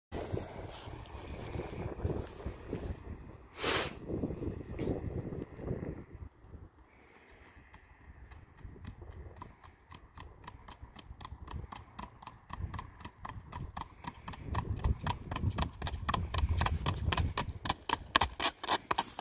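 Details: Standardbred gelding under a rider, with rumbling, scuffing noise at first, then a steady run of sharp hoof strikes from about the middle onward, quickening toward the end.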